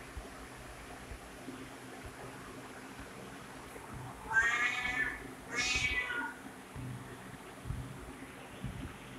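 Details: Two clear, strained cat meows in quick succession, each about half a second long and rich in overtones, set against an otherwise quiet background with faint low rumble.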